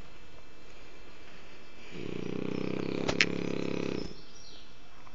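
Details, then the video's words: Sleeping French Bulldog named Kike lets out a single deep, vibrating snore of about two seconds, with a brief sharp click partway through, against a low steady background. "Bulldog francés Kike roncando a lo bestia"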